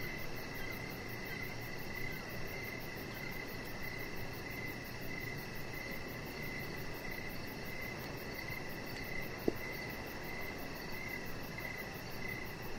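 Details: Evening crickets near a deck give a mid-pitched, nearly continuous chirping band with a faint fast pulsing trill high above, under steady rushing background noise and one brief click.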